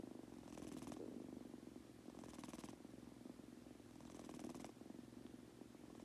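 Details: Munchkin kitten purring as it falls asleep indoors: an even, low buzzing purr with three long airy breath swells, each lasting about half a second to a second.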